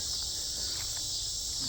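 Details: Loud cicada chorus at night in mid-August 2025, south Chicagoland forest preserve: an unbroken shrill buzzing wall of sound, steady and high, over a soft low background hum.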